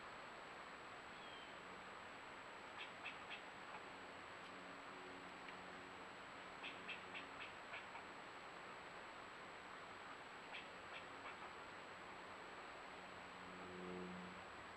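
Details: Mad squirrel fussing from a tree near a bobcat, picked up by a newly placed outdoor camera: short clusters of dry, clicking chatter in three bursts about four seconds apart over a steady hiss of background noise.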